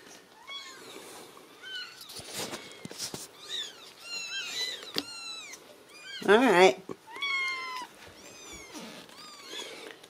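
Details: Ragdoll kitten, reared uncaged in a central Kansas home cattery, repeats thin rising-then-falling meows about every second, with a louder burst of mewing midway and soft speech alongside.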